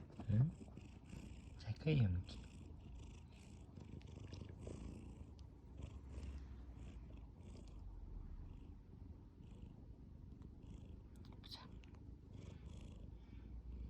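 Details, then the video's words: Tabby cat purring while asleep, a steady low rumble that runs through the whole stretch, with two brief voiced sounds near the start and faint clicks higher up. "Purring and snoring"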